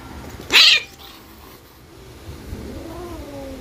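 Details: Adopted domestic cat pair fighting before loving; one sharp harsh hiss-like outburst near half a second, then a soft low rising and falling moan, over quiet background.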